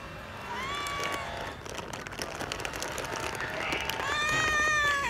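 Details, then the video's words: Scared stray cat meowing for more food outdoors: two clear, drawn-out meows, the first short near the start, the second longer and rising then levelling off, over steady street and traffic noise. "Stray Cat Scared But Always Meows For More Food"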